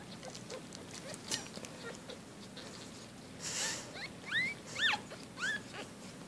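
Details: Four-day-old Shih Tzu-Bichon puppies giving a few thin, rising-then-falling squeaks in the second half, soft and brief against a steady indoor background hiss.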